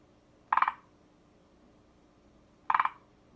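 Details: Forest green tree frog calling: two short, rattling croaks, each a quick burst of four or five pulses at mid pitch, spaced about two seconds apart against a quiet background.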